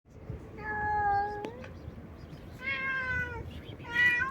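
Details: Stray cat meowing loudly and nonstop for no known reason: two drawn-out, steady meows, the second ending in a slight rise, then a shorter third meow at the end, in a quiet indoor-sounding space.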